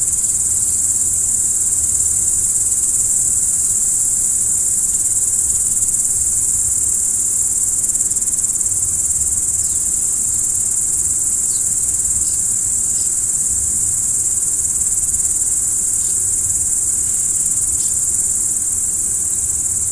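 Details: A nighttime cricket chorus forms a constant bright ringing band, steady in loudness throughout, with occasional thin short chirps rising above it and a low muffled rumble below.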